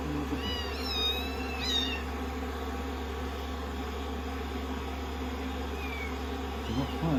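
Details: Rescued kittens, day sixteen, clinging affectionately on a lap as their fur is dried after shampoo; two shrill, wavering kitten meows open the stretch, followed by quieter single mews later, all under loud continuous hair-dryer noise.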